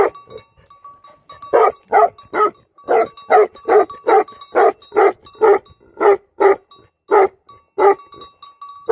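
A livestock guardian dog barks in a steady run of deep, loud woofs, about two each second.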